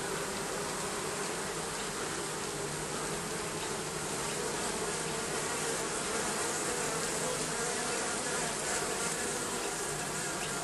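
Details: A colony of bees under the roofing keeps up a continuous, even droning buzz, thick and unwavering from start to finish, with a faint airy hiss above the hum.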